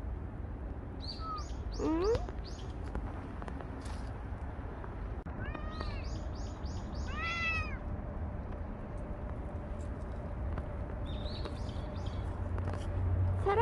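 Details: Bolt, a stray cat that stayed with a family for a year and five months, in its last recording: several short, arched meows rising then falling in pitch, spaced a few seconds apart, with faint high chirps in the background.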